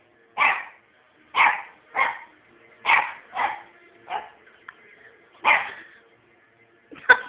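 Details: On bonfire night a puppy called Scampi Fry keeps barking, crisp single barks spaced about one second apart, eight in all, over a quiet steady background.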